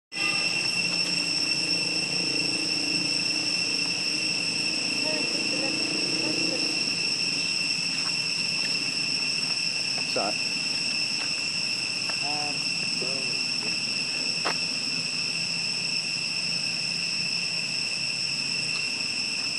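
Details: Tree crickets in Siem Reap keep up a steady, high, eerie ringing trill that never breaks across the whole stretch.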